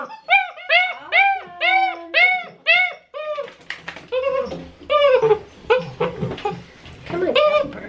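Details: Great Dane puppies, six weeks old, protesting their first bath indoors; loud arched cries come about every half second for three seconds, then softer whines blend with a person talking.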